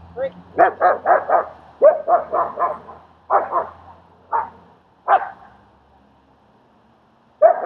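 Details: Barking during a dog training session in Queens, NY, where the German Shepherd Strike helps socialize the dog Leonidas: quick runs of sharp, rough barks, several in a row, then single barks spaced apart, ending with one more burst.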